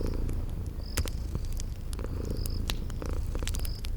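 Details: Low continuous purring from sleeping kitties, joined by crackling fireplace pops and three brief high chirps, set in a cozy spring garden ambience.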